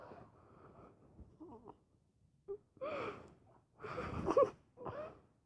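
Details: Pet dog asleep, making funny noises: a run of breathy, wheezing puffs and soft moans. Faint whimpers come first, then louder raspy bursts, with one thin whine near the end, all separated by short quiet gaps.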